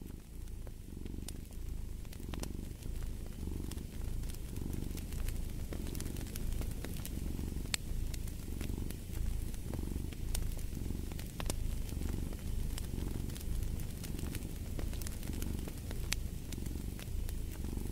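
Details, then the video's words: Cat purring by a fireplace: a steady low rumble swelling and easing in regular breath cycles, with sharp wood crackles and pops from the fire scattered throughout. "the Purring of a Cat"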